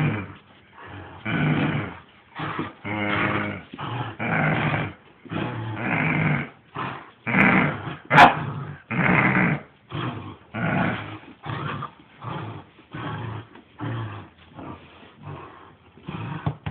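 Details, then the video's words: Ossian the Saint Bernard growls during a tug game with his owner, giving a long series of short, harsh, throaty pulses, some rising into yippy barks, with brief gaps between them. "GRRRRRR Ossian, The Saint Bernard & Dad playing Tug"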